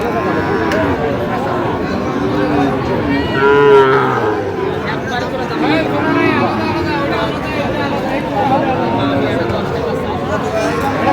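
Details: Sahiwal bull calves at a busy cattle market on 17 August 2025, bought by a farmer from Faridpur; one drawn-out, harmonic low moo rises above constant crowd chatter and bargaining voices.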